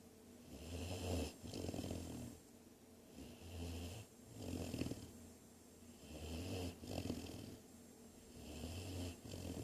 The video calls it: ADORABLE GREAT DANE PUPPY SNORING